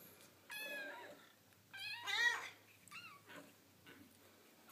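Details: Foster kittens at play with their mother cat, a few short, fairly quiet harmonic meows separated by pauses, with a faint low hum in the background.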